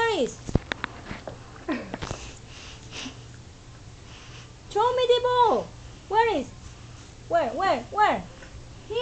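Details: Domestic dog "talking" inside a small room. Sniffs and scattered faint whines come first, then bursts of arched, harmonic, yodel-like calls, rising then falling, in two clusters near the end.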